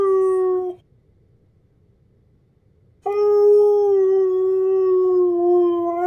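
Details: A Husky gives a short howl that trails off, then after about two seconds of quiet starts a steady, sustained howl that holds nearly level pitch for three seconds.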